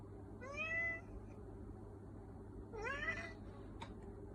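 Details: Two drawn-out meows from a black cat, the first clear and falling slightly, the second rougher and rising, followed by a faint click, with a constant low hum beneath.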